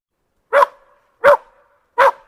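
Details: Dog barking three times, each bark short and loud, spaced roughly seven tenths of a second apart, with a clean silent background between them.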